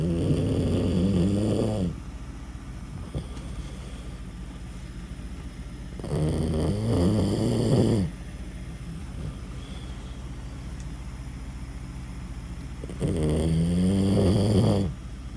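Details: Dog snoring loudly, described as noisy: rough, low rasping inhalations lasting about two seconds each, recurring roughly every five to six seconds with quiet breathing gaps between, steady indoor hum underneath.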